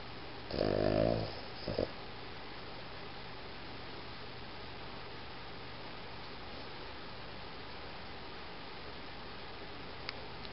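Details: Boston Terrier Iggy gives a loud, rough snorting snore under a second long, followed by a short, faint snuffle. Then only a quiet, steady room hum remains.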